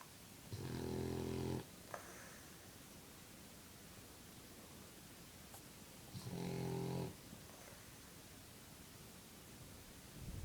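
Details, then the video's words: French bulldog snoring while blowing bubbles: two loud, low, rumbling snores about five seconds apart, each lasting around a second, with a faint third starting at the end and quiet room hiss between. "Funny French bulldog snores and blows bubbles"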